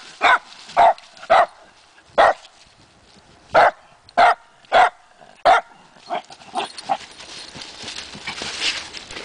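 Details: Barking from two dogs, Matea and Morley, fixated on a tree by a trail, presumably holding chipmunks; single sharp barks spaced irregularly, fading into quieter yips and rustling.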